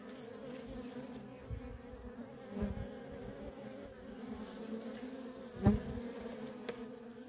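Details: Worker honey bees busy at a feral colony, their droning hum steady under scattered soft thuds, with one sharp louder knock late on.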